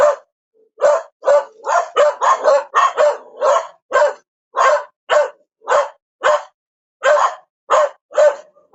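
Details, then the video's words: Rapid dog barking, close to two barks per second, some clustered into quick doubles and triples, loud and sharp against a silent background. "Perro Ladrando / Sonido de animales. Ladrido de perro"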